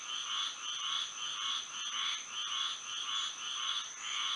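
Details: Moonlit Florida night with frogs singing, a near-continuous pulsing chorus of buzzy croaks repeating rapidly, a steady high-pitched tone running beneath.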